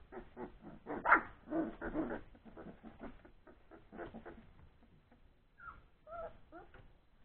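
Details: Old English Sheepdog puppies, three weeks old, tussling after feeding: a dense rough mix of growly grumbles and yips, thinning out to a few whiny squeals at the end.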